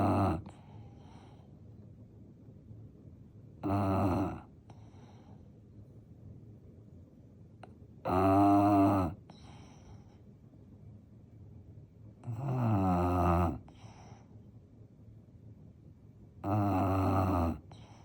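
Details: Sleeping French Bulldog snoring loudly indoors, deep rasping snores with a rattling buzzy texture, each lasting about a second and repeating roughly every four seconds, with quiet pauses between breaths.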